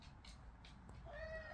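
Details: A pet cat, an owner's first cat, gives one drawn-out, tonal meow that holds level and then fades. Faint indoor room noise and soft voices surround it.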